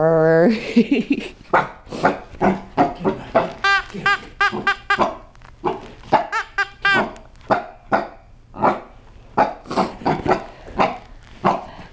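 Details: Frightened by his new toy, Rocky, a young Chihuahua–Cocker Spaniel cross aged seven months, barks nonstop: a drawn-out opening yelp, then a rapid string of high, ringing yaps, roughly two every second, with brief human voices in between.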